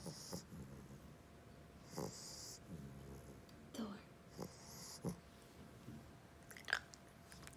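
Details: A sleeping Staffordshire terrier mix puppy, in deep sleep at nap time, snores with soft, low rumbling breaths roughly every two seconds, with faint short clicks and rustles between them.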